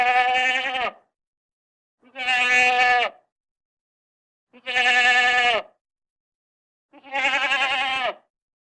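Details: Goat calling four times in a regular rhythm, one steady nasal bleat of about a second roughly every two and a half seconds, the last slightly wavering, with nothing else audible.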